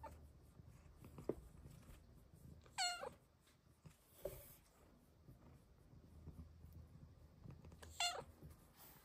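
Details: A young female pet cat indoors makes two short, rising chirpy meows about five seconds apart, with soft room noise and faint taps between them.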